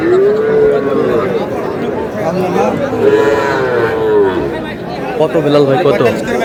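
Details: Cattle at a cattle market in Chittagong, Bangladesh, where a farmer buys a Sahiwal bull calf: three drawn-out, tonal moos, each rising then falling, over steady crowd chatter and men's voices.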